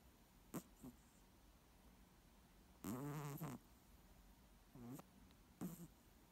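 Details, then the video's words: Snoring moose with a loud, gravelly, throaty snore of under a second in the middle, framed by short snuffling snorts before and after, over quiet background. "Snoring Moose"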